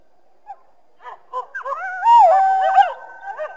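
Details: On a winter day in a backyard, a coyote calls through the trees: a few soft scattered yelps build into a high, wavering howl that dips and then holds a steady pitch before fading.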